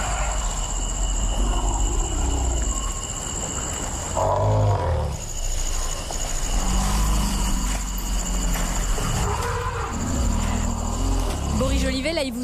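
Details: African elephants grunting and rumbling at night in northern Cameroon near the Chad border; deep, rough low rumbles and grunts swelling and fading, under a steady high insect whine and a constant tonal drone.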